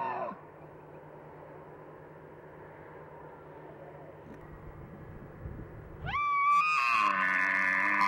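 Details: Bull elk during the mating season; after a long near-silent stretch with low hum, a loud whistled bugle abruptly rises and holds high, becoming harsher and noisier near the end.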